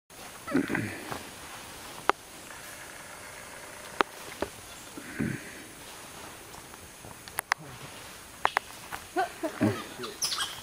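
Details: White-faced capuchin monkeys chasing a coati from their tree at La Selva Biological Station in 2013. Short, harsh, noisy calls come in several bursts, mixed with sharp clicks and snapping sounds. A person comments quietly in between.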